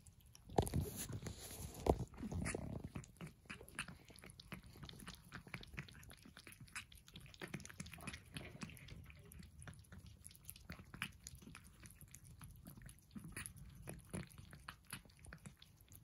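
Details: At breakfast, Persian cats chew their food. Loud crunches open the recording, then steady, irregular soft bites and clicks continue at a slower pace over a quiet low background.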